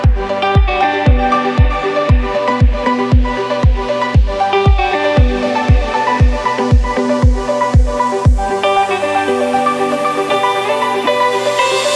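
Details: Electronic dance track with a steady thumping beat about twice a second and bright synth chords, with no animal sounds.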